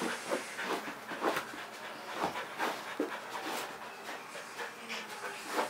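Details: Pet Kerry Blue Terrier named Leroy pants eagerly, wanting to play; quick breathy huffs about three per second, rough and airy, with louder bursts near the start and end in a small room.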